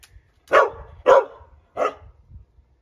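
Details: Great Dane giving three short, loud barks spaced about half a second apart, each sharp-edged and broadband with a strong mid-pitched core, followed by a faint fourth grunt; quiet room background in between.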